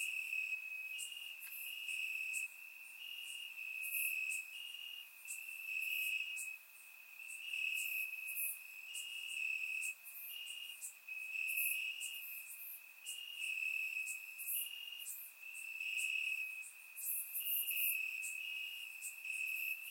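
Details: Crickets chirping in grass on a warm summer night in Bulgaria, surround microphone; a steady high pulsing trill in short bursts roughly every second, with other faint shrill insect pulses above, no other sounds.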